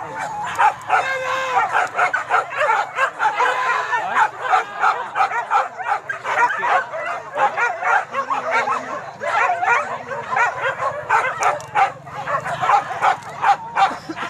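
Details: Dogs on a wild boar hunt in Kayu Ampek, Tanah Datar regency, keeping up a continuous chorus of excited barks and thin yips, bursts rising and falling through the stretch, with faint human voices underneath.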